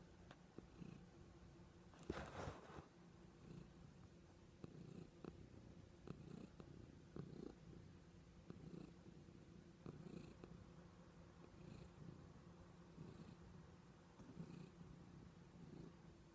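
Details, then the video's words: Cheese Kitty, a pet cat indoors, purring toward the camera: a steady low rumbling purr with soft rhythmic pulses about every second, continuous through the clip, one brief louder scuffle near the start. "Cheese Kitty Purrs"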